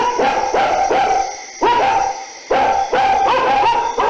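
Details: Dogs barking during the night: a run of sharp, ringing barks, three in quick succession, a short pause, a single bark, then another rapid cluster of three or four, each bark bright and harmonic-rich.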